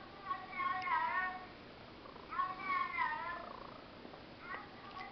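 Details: Pet cat saying hello indoors: two clear drawn-out meows about two seconds apart, each wavering and falling, with a softer third call near the end and a person's voice nearby.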